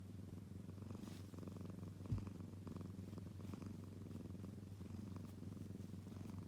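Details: Kitten purring: a steady low rumble with a soft pulsing rhythm throughout, and a single faint knock partway through.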